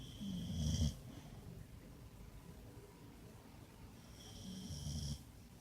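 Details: Bacon, a boxer dog, snoring loudly while asleep on a bed; two long rasping snores with a whistling overtone, about four seconds apart, quiet breathing in between.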